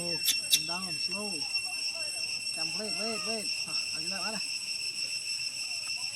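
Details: Apollo, a young chimpanzee, cries because he is hungry and wants his father to feed him milk: a run of arched, wavering whimpers rising and falling, about eight in four seconds, then quiet. Steady insect buzzing and two sharp clicks near the start.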